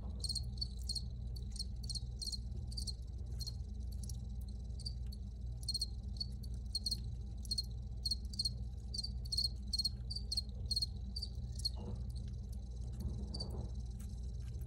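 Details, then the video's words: Crickets recorded outdoors, giving bright, rapid chirp pulses in quick repeated bursts for most of the clip, thinning toward the end; a steady low hum runs underneath. "Free Cricket Sounds"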